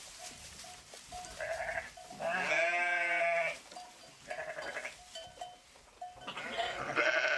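A sheep gives a loud, wavering bleat, with fainter bleats from others around it.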